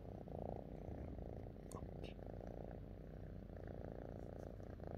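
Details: Pet cat, happy with its owner, purring continuously in a low, even rumble with a soft pulsing rhythm; a few faint clicks and small rustles sound briefly near the middle.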